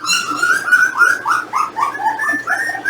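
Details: Young Jindo puppies, 18 days old, being weighed with their parent dogs. A steady run of short, tonal squeaking whines, each briefly rising then falling, comes about three or four per second with little pause between them.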